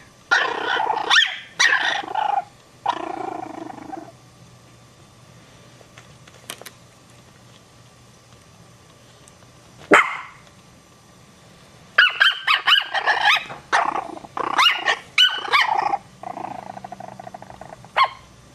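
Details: Chihuahua puppies, three of them, startled by a Maltese dog's bark, one puppy barking back; bursts of shrill yaps and rough growly barks come in uneven flurries, with a long quiet gap mid-way before a dense run of rapid yapping.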